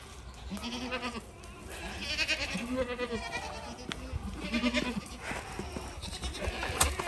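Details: Goats kept on a portable goat farm with fencing near a beaver-chewed creek, giving a series of wavering, nasal bleats that overlap and repeat every second or so, with outdoor background noise.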